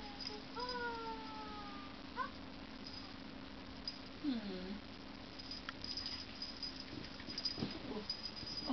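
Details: A playful female Scottish Fold kitten (Felis catus) gives short, slightly falling meows over a low steady hum.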